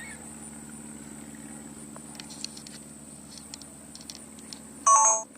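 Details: A steady electrical hum and faint clicks, ending in a loud electronic beep like a phone keypress tone.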